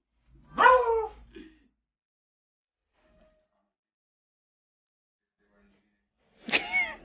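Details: Beagle puppy making two loud, clear whining cries about six seconds apart, each sliding downward in pitch with rich harmonics, with near silence between them.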